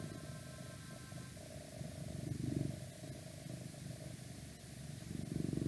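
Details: Close-up purring of a domestic cat: continuous low, grainy rumble rising and falling in waves, with a faint steady hum and light outside noise behind it.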